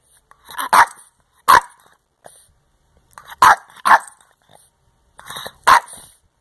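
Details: Boston terrier eating homework and vocally "telling" its owner about it gives sharp, short barks, singly or in quick pairs, with pauses between; Boston terrier.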